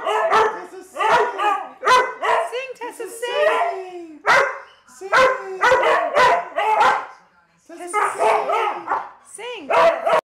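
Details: Howling dog with rising and falling yodel-like wails broken by short yips and bark-like notes, in uneven bursts with a short gap near the middle.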